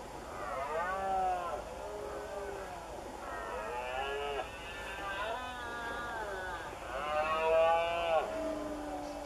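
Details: Several male red deer roaring during the September rut in an open marsh beside cork oak woodland in Doñana, Spain; overlapping drawn-out, harmonic bellows that rise and then sag, with two or more stags calling at once.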